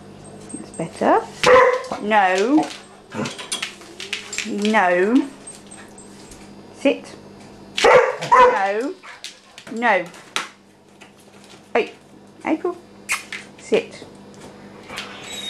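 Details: April, a young Vizsla puppy sharing the house with a cat named Maggie, lets out loud bursts of rising and falling yelping barks in uneven clusters, as a person repeatedly tells her to sit and calm down.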